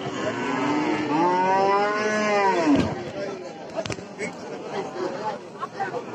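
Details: One drawn-out moo from a cow in Bangladesh, rich and wavering, fading after three seconds into murmuring voices and sharp clicks.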